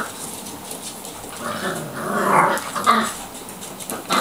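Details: Six five-week-old Labrador puppies, two black and four chocolate, running riot in a kitchen; playful growling and rough snarly yaps swell and fade over a few seconds amid scuffling and household noise.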